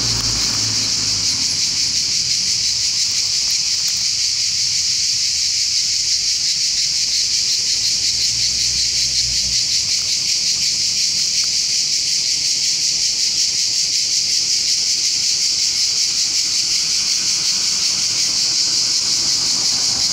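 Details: Swarm of cicadas on tall, large trees in the outskirts of Bologna, summer 2018, making deafening noise; a dense, continuous high-pitched buzzing hiss holds steady without pause for the full twenty seconds, with no other clear sounds.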